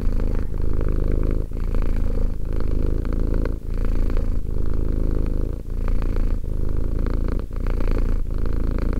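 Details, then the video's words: Deep rhythmic purring by Romek, a cat two years old; a low buzzing rumble swelling on each in- and out-breath with short dips between cycles, heard close up in a quiet setting. "One hour of quality cat purring."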